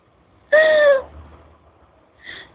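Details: A cat called Tiger Cat gives a single clear meow lasting about half a second, harmonic and slightly falling, followed by a brief faint second call near the end.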